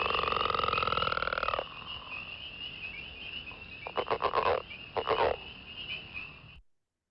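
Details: A Northern Leopard Frog (Lithobates pipiens) sings a long, snoring rattle followed by short, grunting chuckles.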